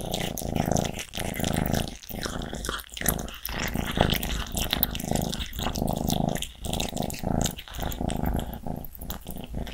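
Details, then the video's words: Cats growling greedily while eating. A steady low rumbling growl is broken into bursts by short pauses roughly every second, with wet chewing clicks and crunches on top throughout. "Greedy cats！"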